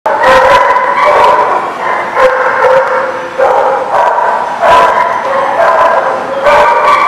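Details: Dogs barking at a place called The Barking Lot, recorded 29 October 2018; loud, overlapping barks repeat roughly every half second to a second, forming a continuous chorus of several dogs.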